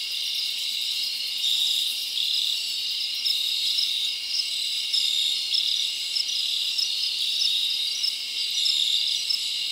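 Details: Forest crickets on a summer night, their chirps merging into a constant high, shimmering trill with small repeated rises in loudness throughout.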